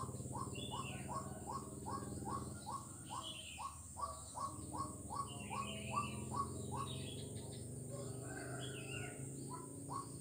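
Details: Frog calling at Jalan Kolonel Sugiono, Kuala Kapuas, Central Kalimantan, on 4 November 2021: short, rising notes repeated evenly about every half second for most of the clip, with higher bird chirps and a steady background hum.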